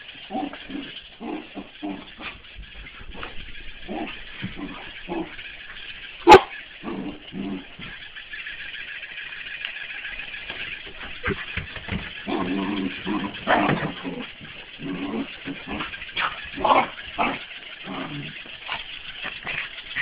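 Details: A Corgi barks and yips in quick, excited bursts while playing with a mechanical ball, whose steady mechanical whirring runs underneath.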